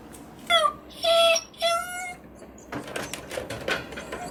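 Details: Kuu-chan, a Miniature Dachshund shut in a cage as a punishment, wants to be let out. Three high, clear, slightly falling whines come in quick succession, followed by rattling and scratching at the cage in a small room.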